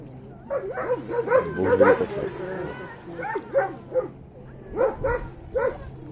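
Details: Landseer Brutus in water rescue training, Czech Republic, barking in short excited bursts of yelping barks separated by brief pauses, while people talk nearby and a low hum continues underneath.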